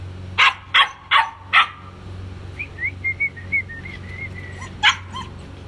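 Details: White German Shepherd puppies giving four quick sharp barks, then a stretch of soft, high whistled notes, then another bark and a short whine, over a low steady hum.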